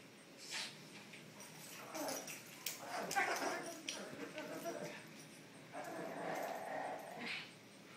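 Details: Two dogs, a Shih Tzu and a Chocolate Labrador, playing together, with rough bursts of noisy play sounds that rise and fall over several seconds, mixed with human speech.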